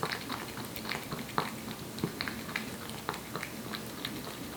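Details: Wet-food meal of Aepi, a year-old Korean Shorthair house cat: a steady run of sharp little wet clicks and smacks, roughly three or four a second, up close, with a faint hum underneath.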